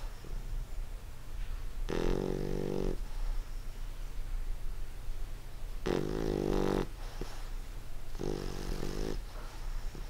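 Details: English Bulldog asleep indoors, snoring three times at irregular intervals; each snore is a harsh, vibrating rasp about a second long, with faint breaths and a low electrical hum between.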